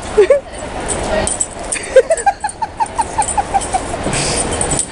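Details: Puppies playing indoors at Crufts in the evening after the crowds have left: a run of short, high yips and whimpers, about a dozen in quick succession, with faint background noise.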